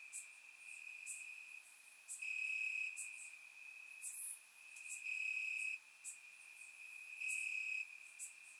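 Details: Grass crickets on a summer night in Bulgaria, surround recording; a constant shrill trill swells into louder chirping passages every couple of seconds, with a sharp high tick near the middle.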